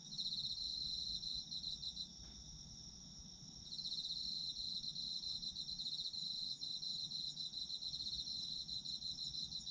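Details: Autumn insect chorus for sleep listening: continuous thin, high ringing tones with a rapid chirping trill layered over them, which falls silent from about two to nearly four seconds and then returns at full strength.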